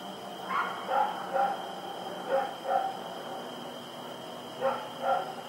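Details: On the night of 7 October 2018, Rex the dog barks while running around, with seven short barks in three bursts of two to three, over a continuous tonal hum in the background.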